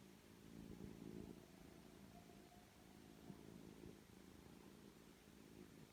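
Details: Indoor rescue foster litter: three-week-old kittens with their mother Jill. A continuous, low, throbbing purr fills the clip, rising briefly around the first second, with a faint thin tone drifting above it midway.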